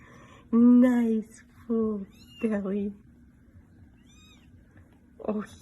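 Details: Kitten indoors giving three loud harmonic meows in the first three seconds, each about half a second long and slightly falling, then a short faint meow near the end; low hum underneath.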